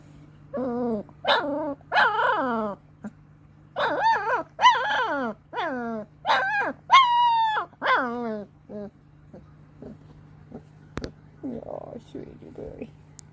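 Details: Two long-coat German Shepherd puppies, two weeks old, giving a rapid series of grunts and whines, wavering harmonic cries about three per second, some rising then falling, fading to softer snuffles near the end, with a constant low hum behind.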